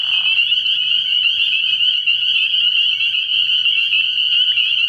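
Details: A massed chorus of spring peepers at a frog pond by night in early spring, countless high peeps overlapping into one continuous bright trill, plus a soft low throb in the background.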